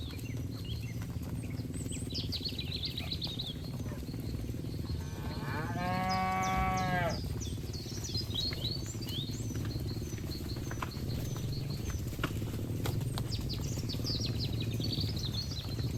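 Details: A grazing herd of cattle in a green field; one animal lets out a full, harmonic moo lasting about two seconds, surrounded by busy chirping birds and a constant low hum.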